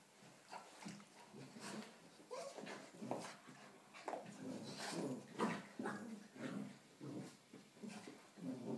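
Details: Indoors, a 4-month-old Rottweiler cross puppy takes on a 3-year-old St Bernard in play: dense run of snorting growls, whines and huffs, about two bursts per second, uneven and scrappy.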